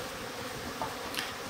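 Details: Colony of Japanese honey bees inside a stacked-box hive, bottom board slid open in spring: continuous low, even buzzing drone with a few faint higher tones flickering over it.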